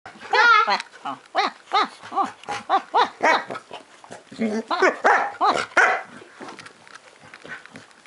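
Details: Eclair, an over-excited pet dog, gives a rapid run of short, arched, whining yelps, about a dozen in eight seconds, strongest and most tonal in the first second, then fading, with a person's voice mixed in.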